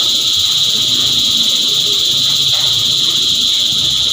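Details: Cicadas sing in a thick, even high-pitched drone with a slightly pulsing texture and no other clear sounds.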